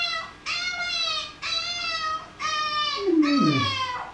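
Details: Repeated high, quavering puppy cries in a small room, each about a second long, then a lower whine sliding downward near the end as the dog Tom responds to the puppy.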